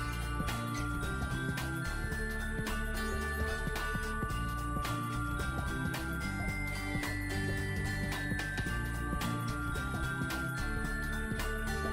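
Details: Jingling bells and continuous backing music fill the whole stretch, with no animal sound.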